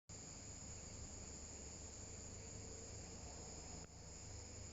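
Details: Viadana katydid recorded on 10 February 2022 at San Juan, Santa Cruz, Bolivia: a steady, unbroken high-pitched shrill tone held throughout, over a low rumbling background hum.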